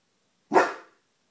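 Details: A 16-week-old female Neapolitan Mastiff puppy barking while learning to guard the home on command: one sharp, loud, broadband bark of about half a second, with silence around it.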